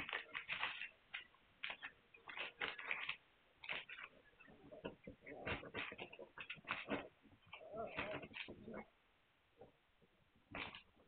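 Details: Hungarian Vizsla puppies on 9 March 2021, squealing and whimpering almost continuously in sharp, high bursts, with a few brief pauses and softer cries later on.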